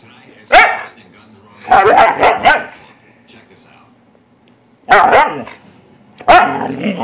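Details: Playful Siberian Husky giving four bursts of loud, harmonic, talkative vocalizing: a single yelp, then a triple wavering volley of yips, then two more abrupt rising-and-falling howl-like calls separated by quiet gaps indoors.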